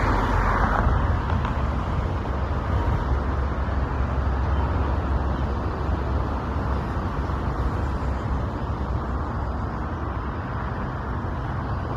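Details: Only a steady, low rumble of passing road traffic is heard, with no animal calls.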